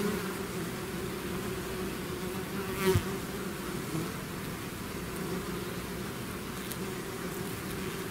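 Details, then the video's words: Many bees swarming out of a hive produce a steady, buzzing hum; a single bee flies close by near the three-second mark, briefly louder before the drone settles again. "bees therapy swarm natural buzzing sound"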